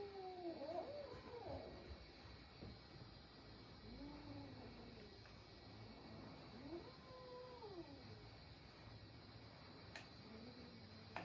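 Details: Caterwauling from a little cat scrapping with adult brother cats, a series of short arched moaning yowls, several overlapping, with a faint low background hum and a sharp click near the end.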